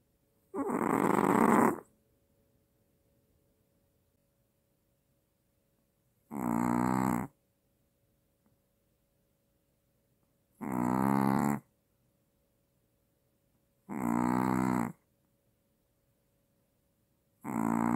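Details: A Maltese dog snores loudly, each rasping, rattly breath lasting about a second and repeating every few seconds; the owner mentions apnea, and the dog startles awake from snoring.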